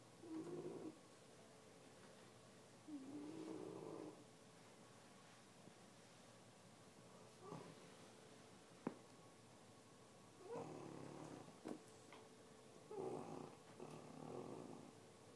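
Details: Lilly, an 8-month-old English Bulldog, snores while sleeping on the couch. Rough, nasal breaths with a slight whistle come in irregular bursts every few seconds, with a faint click in a quiet room.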